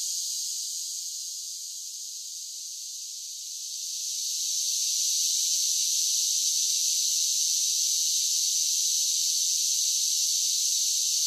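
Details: A continuous shrill droning buzz of summer cicadas, quieter for the first few seconds before swelling to a full, even intensity that holds to the end.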